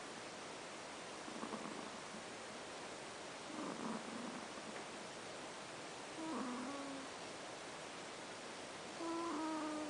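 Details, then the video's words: Sleeping house cat named Ash snores with slow, soft, raspy breaths recurring every two to three seconds. Faint thin squeaky tones follow later against constant hiss. "Snoring Kitty"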